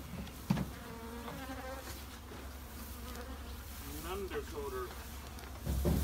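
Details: Low droning hum of honey bees in a shed, with gliding, wavering buzz tones that swell and fade, and a couple of sharp thumps at the start and end.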